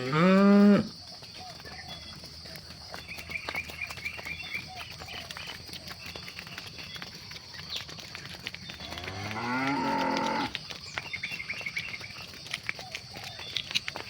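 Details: Cows being herded at sunset in the evening: a short, strong moo at the start, then a quieter stretch with faint chirping and a rising, drawn-out low near ten seconds, steady high hum throughout.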